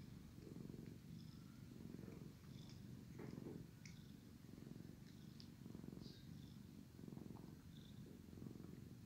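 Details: Sleepy tomcat purring loudly during a grooming session from his brother; strong low rumble rising and falling in steady breath cycles, overlaid with frequent light licking and rustling clicks.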